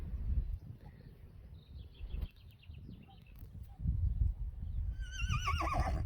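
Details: Friesian horses at a stable housing 25 of them, around feeding time with pellets as a reward: a wavering, tremolo whinny rises in the final second, over low rumbling stable noise and faint hoof and handling sounds.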